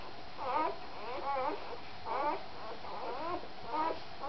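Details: Puppy sounds recorded indoors while Cha Cha is feeding: short squeaky whimpers with wavering pitch, coming in bursts roughly every second, with quiet pauses between them in a small room.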